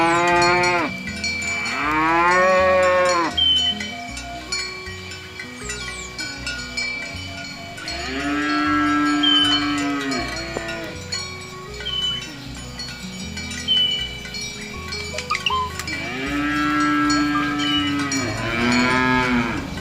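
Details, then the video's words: Cows herded by a shepherd to the farm pen in the morning give three long, drawn-out moos spaced several seconds apart, each swelling and then falling away, over a steady musical bass line and soft chiming. "Suara Sapi Moo"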